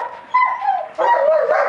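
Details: German Shepherd of the Vom Haus Stanojević kennel: a drawn, high whining yelp, a brief pause, then a louder, wavering whine that slides up and down in pitch.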